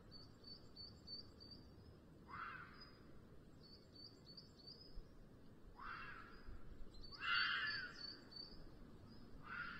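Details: Red fox in heat giving its rutting-season 'chilla' at the end of the afternoon, picked up by a nest webcam on a black vulture pair in Sierra de Guadarrama National Park; four harsh, hoarse scream bursts, with steady high bird chirps behind.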